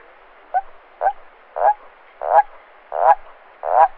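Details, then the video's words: Nocturnal toad croaking: six deep, gurgling pulsed calls, each roughly half a second long, spaced about every 0.6 to 0.7 seconds and growing slightly louder toward the end. "Il Gracidare del Rospo: Un Richiamo Notturno Affascinante!"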